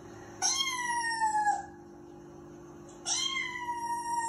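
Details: A Persian cat named Snowy, watching TV indoors, meows twice, each a long, harmonically rich wail sliding slowly down, about two seconds apart over a steady low hum.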